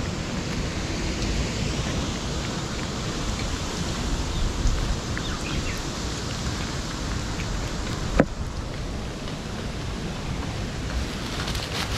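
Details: Steady rain hisses over a low outdoor rumble throughout, with one sharp click about two-thirds of the way in; no animal voice stands out.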